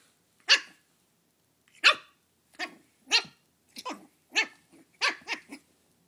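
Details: Halloween standoff between Belle, a brand new Shih Tzu puppy, and a tiny pumpkin: thin squeaky yaps that start spaced apart and then speed up into a rapid cluster of short barks near the end.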